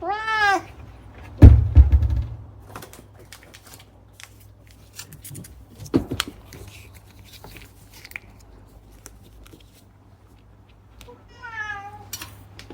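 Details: Chatty rescued cat Unagi opens with a short bright meow, then a heavy thud and quiet rustling. A second, softer meow near the end slides downward in pitch.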